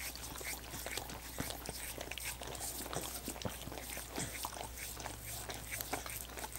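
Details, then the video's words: Several dogs lapping at coconut water popsicles, producing a continuous flurry of rapid wet smacks and slurps, irregular and closely packed, with a faint steady low hum underneath and no talking. "Dogs Licking Coconut Water Popsicles"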